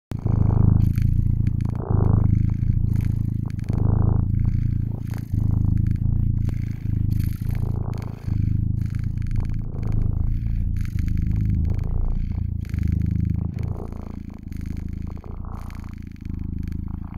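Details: Domestic cat purring steadily and close, a low rumbling drone with rhythmic pulses as it breathes in and out, continuous throughout with only slight swells in loudness.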